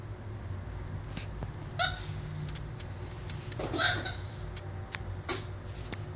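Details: Capuchin monkey Instinct, a pet, playing and wrestling with a toy monkey. Two short, high squeaky calls about two seconds apart, set among scattered clicks, taps and rustling from the play, over a steady low background hum.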